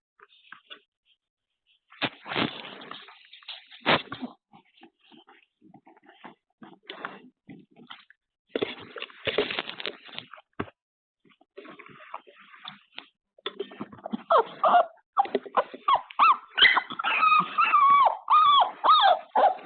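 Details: Puppies waking from an afternoon nap, picked up by a surveillance camera indoors: scattered shuffling and rustling, then a run of high, wavering whines and yelps that rise and fall, repeated rapidly toward the end.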